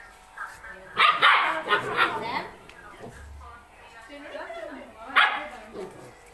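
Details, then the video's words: Two small Rottweiler puppies fighting: a cluster of harsh, rasping growls and yaps in the first two seconds, another sharp burst near the end, with people talking quietly in the background. "Two Small Puppy Rottweiler fight"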